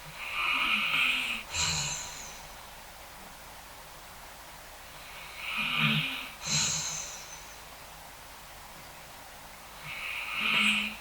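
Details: Wilson, a Basset Hound, snores in slow, raspy breaths about every five seconds while sleeping and dreaming through a thunderstorm that usually scares him, in his usual safe spot.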